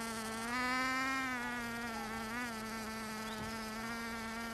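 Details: Bees recorded in Finistère, Brittany, far western France, not only gathering nectar; a short, unbroken buzzing hum that swells slightly louder and higher early on, then steadies.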